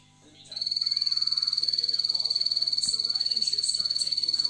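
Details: A bumblebee poison dart frog gives a long, high, rapidly pulsed trill as a courtship call, in a group where an 8-year-old female was just introduced and young males began courting almost immediately.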